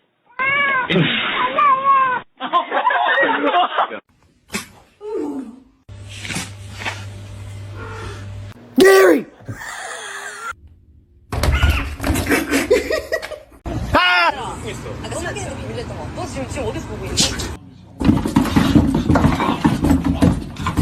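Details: Domestic cats meow in drawn-out, rising and falling wails amid human talk and laughter; one cat is thought to be scared.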